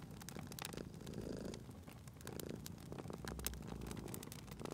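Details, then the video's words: Cat at a fireplace giving a low, gentle purr in short swelling bursts, partly buried beneath loud, frequent crackling and snapping of the fire. "Cute Purring Cat at a Crackling Fireplace"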